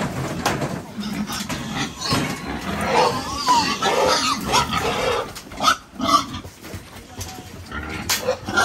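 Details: Domestic pigs being sold to traders from northern Vietnam, giving harsh, noisy squeals and rough grunts in overlapping bursts throughout, amid clattering and handling noise.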